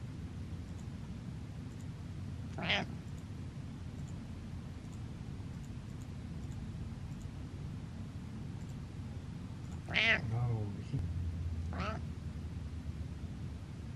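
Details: Butters, a pet cat, stares and meows: three harmonic meows, a lone one early, then two close together near the end, each rising then falling, over a steady low hum with faint clicks.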